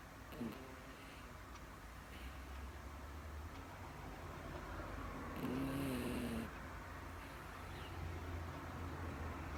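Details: Sleeping female Miniature Dachshund snoring: a short snort near the start, steady breathing, then a longer low buzzy snore about a second long in the middle before settling back into quiet breaths.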